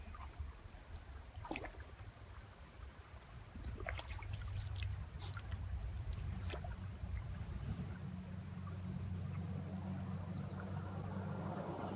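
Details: Trickling water over a low steady hum, with scattered soft clicks and knocks and no animal calls.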